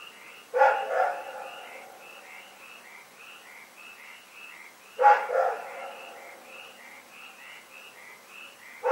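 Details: Night-time barking from Rex the dog, February 27, 2018. Three harsh single barks come roughly four to five seconds apart, while a continuous pattern of brief, high chirps pulses beneath them.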